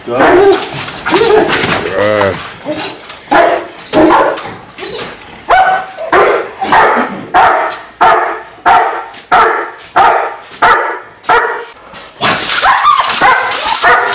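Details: Male German Shepherd with strong working genetics, shown during a bite-work demonstration at a dog training facility, barks in sharp bursts repeated roughly every 0.7 seconds through the middle of the recording; a man talks before and after the barking.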